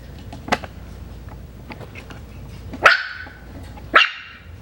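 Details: Hannah's litter of Coton de Tulear puppies, five weeks old and new to leaving the kennel, lets out two quick, bright yips about a second apart after a faint earlier squeak, with soft indoor background noise.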